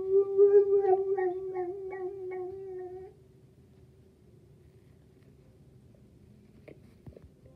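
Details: Boxer dog named KG howling indoors: one sustained, even-pitched tonal howl with a slight waver lasting about three seconds, then a quiet room with faint small clicks.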